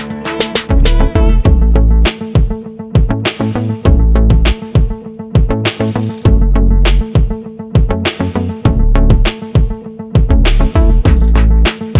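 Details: Loud upbeat music with a steady drum beat and heavy bass fills the whole stretch, and no animal voice can be picked out.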